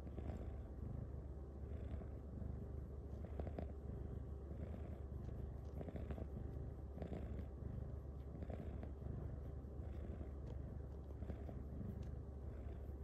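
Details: Female cat Luxe purring contentedly while being massaged at night; a low, unbroken vibrating drone with gentle rhythmic rises and quiet rubbing noises from her soft fur being kneaded.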